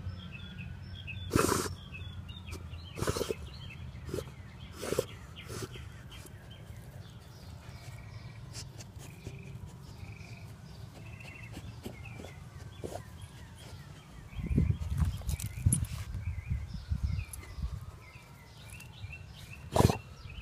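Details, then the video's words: Basset Hound sniffing and snorting: short, harsh, noisy bursts near 1.5, 3, 5 and 20 seconds, with a cluster of rougher snuffling around 15 seconds over a steady low rumble and faint thin whistling in the background. "Basset Hound Sniffing and Snorting"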